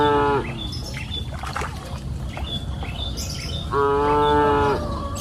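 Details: Cows mooing on a green pasture hill in the afternoon: a short harmonic moo at the start, then a longer, steady, full-toned moo about three seconds later, with soft chirps and outdoor ambience between.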